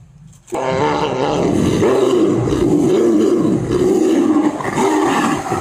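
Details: Tiger in a forest tiger reserve, giving a deep, sustained, rumbling roar that starts abruptly and holds strongly for about five seconds, rough and resonant with a slight wavering.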